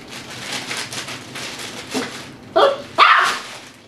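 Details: Dhali, an eight-week-old Tibetan Terrier puppy, plays in his x-pen among noisy toys, chew toys and bully sticks; two short, sharp yips near the end follow steady rustling and clattering from toys and a garbage-bag sheet.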